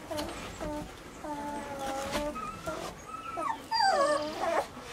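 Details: Weimaraner puppies whimpering in short, thin, tonal whines, some held briefly and some bending upward, with a quiet background.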